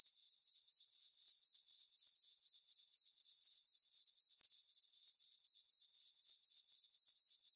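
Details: Summer-night crickets in a farm meadow under a full moon, giving an unbroken high-pitched pulsing chirp, roughly four even beats each second, over silence.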